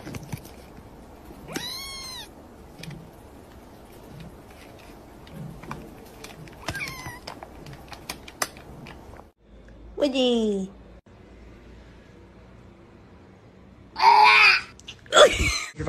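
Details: Kittens meowing in a series of thin, high, arched meows spread through the recording, ending with two louder, harsher bursts close together.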